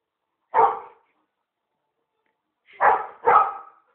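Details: Labrador Retriever that cannot reach its favourite frisbee, barking: one short bark, a pause of about two seconds, then two quick barks in close succession and the start of another.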